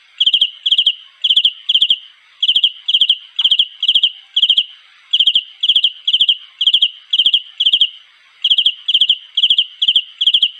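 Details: Mate-calling cricket producing shrill pulsed chirps, three to four rapid pulses per chirp, repeated roughly two times per second in long runs broken by short silences; background otherwise quiet.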